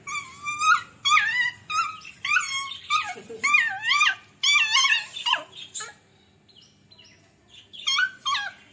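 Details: Beagle and Labrador puppies playing together, giving a run of high whining yelps with rising and falling harmonic tones, about two per second, then a quieter pause with faint squeaks and more yelps near the end.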